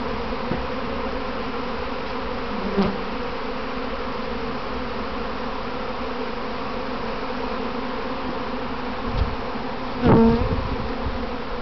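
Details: Kept honey bees in a practice swarm gathering on their box; continuous thick buzzing drone from many wings, with a few brief louder passes of single bees flying close near the start and end.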